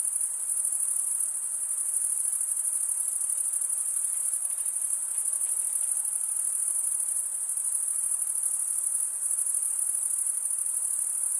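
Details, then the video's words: Male crickets stridulating by drawing one wing along the comb-like teeth of the other, giving a steady, shrill, unbroken high trill that pulses rapidly throughout, over a soft low hiss. "Most relaxing cricket sound for 8 hours"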